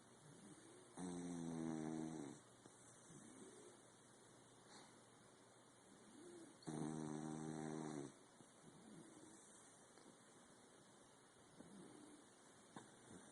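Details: Sleeping corgi snoring: two long, droning, buzzy snores about five seconds apart, each lasting over a second, with softer breathy sounds in between and a steady background hiss.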